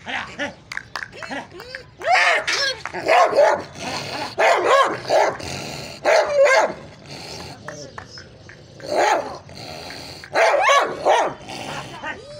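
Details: Bull Terrier dog barking in loud, irregular bursts, several harsh barks clustered together and then pausing, the outbursts recurring every one to two seconds over a busy, noisy background.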